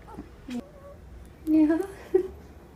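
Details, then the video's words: Fourteen-day-old Great Dane puppy yawning: a drawn-out squeaky tonal whine lasting about half a second, followed by a shorter high squeak, with a soft click and a faint squeal earlier in a quiet room. "14 Day Old Great Dane Puppy Yawning"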